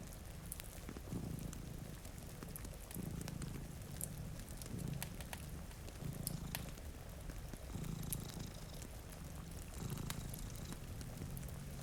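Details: Purring from a sleeping house cat, one of two resting by a rain-streaked window; a deep, steady rumble rises and falls in regular breaths, with rain patter and snapping fireplace crackles throughout.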